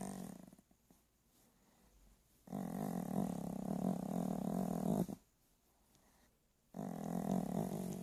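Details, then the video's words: Dog snoring while asleep indoors: two long, rough, low rasping breaths of about two and a half seconds each, separated by quiet pauses, with a third beginning at the end. "Snoring dog."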